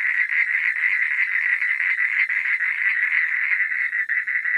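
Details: A nocturnal gathering of frogs giving rapid, grating croaks that blend into one steady, throbbing mid-pitched chorus, with slight dips in loudness near the end.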